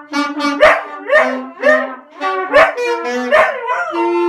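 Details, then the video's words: At Christmas a dog howls in tune with jolly brass instruments playing Jingle Bells; sliding, wavering howls overlap short punchy brass notes repeated roughly every half second. "dog howls in tune to jingle bells"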